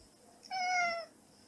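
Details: Excited house cat at night in an air-conditioned room, watching a ball being rolled from brushed-out fur, then playing fetch with it; one short clear meow, about half a second long, steady and then slightly falling, in a quiet room.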